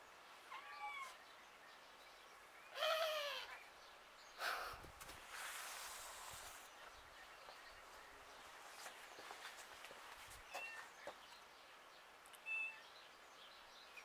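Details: Cat meowing outdoors: two short, rising-then-falling meows early on, then a louder, strongly harmonic meow near the third second, with knocks, rustling and a faint high chirp later against quiet background noise.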